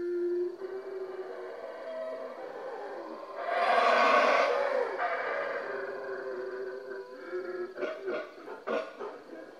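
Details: Several howler monkeys howl at Yaxha in Guatemala, a continuous rough, droning roar that surges to its loudest peak midway, then settles, with sharper throaty bursts breaking out near the close.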